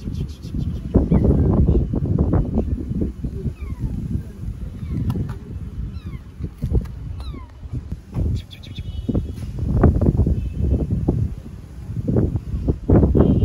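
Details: Homeless tabby kitten on an Istanbul street, following a person and not letting them go home, gives thin, high, falling meows at irregular intervals, partly buried under loud low rumbling street noise and footsteps.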